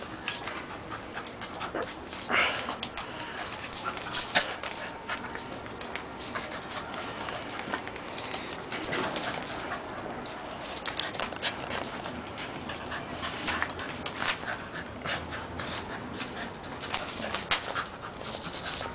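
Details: Whisky, an almost two-year-old Scottish Terrier, plays with a garden hose; quick breathy panting and snuffling bursts come in irregular runs over a steady broadband hiss.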